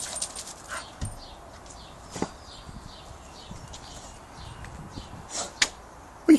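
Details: A Staffordshire Bull Terrier, in a mad few minutes of frantic play, lets out short, scattered yips and whining whimpers, with clicks and scuffles between them, while a person talks to it nearby.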